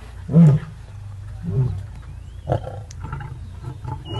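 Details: Wild lions at a hippo kill with the Paradise pride, Maasai Mara, March 2023: a few deep, short grunting roars spaced over a couple of seconds, with a thin bird whistle in the background.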